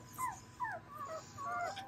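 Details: Dobermann puppies of a spring 2022 litter giving several short, high whines that slide downward, overlapping one another, with a low background hum.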